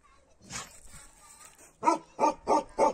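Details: Bakharwal dog from Kashmir barking: a short run of four quick, sharp barks near the end after some quieter background noise.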